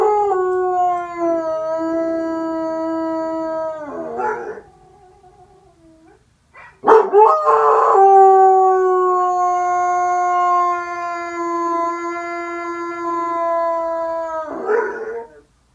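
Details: A dog howls in two long sustained tonal notes, each about four to seven seconds, held level and dropping at the end, separated by a short pause and a brief yelp.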